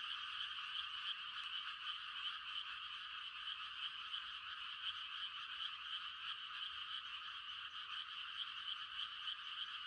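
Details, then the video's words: Rural night frog chorus heard in rice-planting season, many frogs giving mating calls as one dense, fast-pulsing trill that never stops, with no other sounds. "The sound of frogs on a quiet country night"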